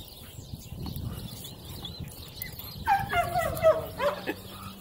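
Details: Female Cane Corso, four months old, during an evaluation with a decoy; after a quiet rumbling start, a burst of high, whiny yelping barks in quick succession over low background noise.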